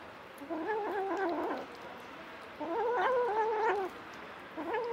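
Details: Stray mother cat nursing seven kittens, including two adopted orphans; three drawn-out, wavering meows roughly two seconds apart, the middle one loudest, with a soft background hiss.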